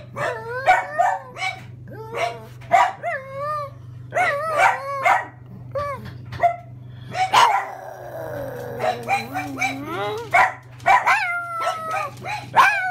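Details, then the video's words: A pug reacting as a grocery delivery arrives gives wavering, yodelling howls mixed with yips and short barks, rising and falling in pitch over a steady low hum. "PUG VS DeliveryMan"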